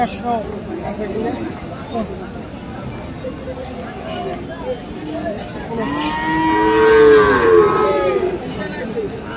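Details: Cattle at Aftabganj livestock market, Dinajpur, Bangladesh, among Friesian and crossbred bull calves on 21 February: one loud, long, wavering moo swelling in the second half, above steady background talk and crowd noise.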